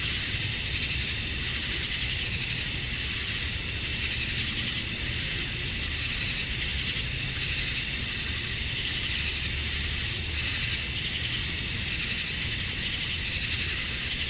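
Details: Summer-night cicada chorus at dusk in Georgia, USA, males calling to attract females. A constant shrill, hissing drone rises and falls slowly every few seconds, with nothing else standing out.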